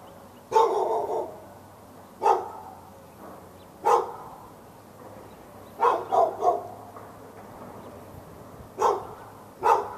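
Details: Dog behind a fence in Raleigh, North Carolina, barking at the dog next door on February 15, 2012, a bout lasting from morning into afternoon; eight sharp, mid-pitched barks come singly or in a quick triple, spaced irregularly over steady background hum.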